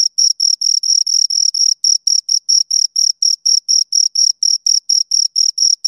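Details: Two crickets chirping, producing sound by stridulation: a high, pure ringing tone in short even pulses, about four per second, with brief stretches where the pulses run together; no other sounds.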